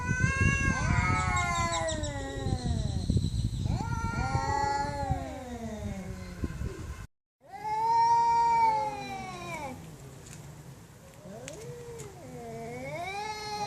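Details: Loud cats giving drawn-out, wavering meows and yowls, with a brief silent break midway. Later calls bend down and back up in pitch against a faint background hum.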